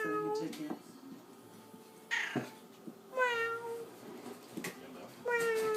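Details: Pet orange tabby cat begging for tuna indoors, giving clear, drawn-out meows that start high and slide downward, one after a sharp noise midway and another at the close, over a quiet room with faint human voices.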